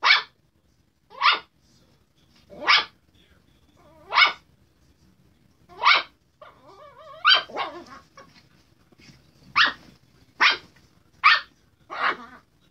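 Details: A sassy Chihuahua barks while harassing a Redbone Coonhound. Sharp, high barks come about a dozen times, mostly one every second or so, some with a short whining tail, over a quiet indoor background.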